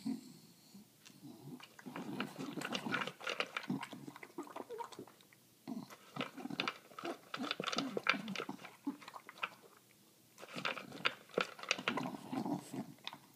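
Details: Female English bulldog eating dinner, chowing her food and licking her lips; wet chewing and snuffling grunts come in dense bursts, with short quiet pauses near five and ten seconds.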